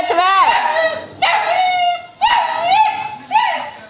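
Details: Female Labrador Retriever puppy asking for food and arguing with her owner, indoors: four loud, drawn-out whining yelps with bending harmonic pitch, roughly one per second, each rising then falling.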